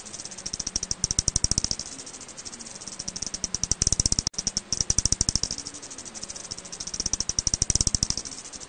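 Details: An eastern bent-winged bat, recorded in Korea in 2020, gives fast trains of dry, ticking pulses that swell and fade in bursts.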